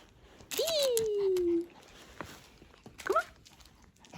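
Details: Hendo, a male Pomeranian turning two years old on his birthday, born 20 August 2021, gives one drawn-out whine that jumps up and then slides slowly downward for about a second, followed later by a short, higher yelp.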